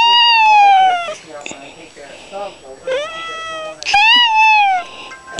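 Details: Annoyed orange Manx cat being teased at home gives several drawn meows, one long then shorter wavering ones and a final rising-falling meow, mixed with a person's voice calling the cat.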